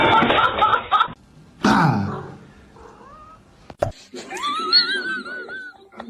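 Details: Domestic cat giving a long, wavering meow that rises, holds and slowly falls near the end, preceded by loud human voices, laughter and a sharp knock.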